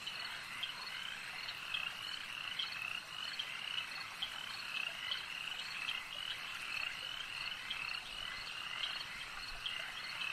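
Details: Frogs croaking at a lake, recorded for a nature ambience: a dense, continuous chorus of many overlapping high-pitched calls with small bright peaks scattered through, steady in loudness, and no other clear sounds.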